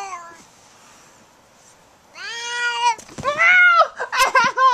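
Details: Pet Siamese cat, overstimulated after being patted with a foam sword and turning to attack, indoors: a quiet opening gives way to loud, drawn-out harmonic meows, one long steady cry then several shorter ones bending up and down in pitch.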